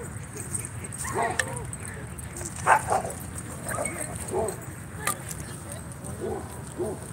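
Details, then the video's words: Dogs playing at a dog park on a Friday night, giving short harmonic barks and yips in scattered bursts, several close together, over steady outdoor hum and a man talking. "Friday Night Dog Park Action"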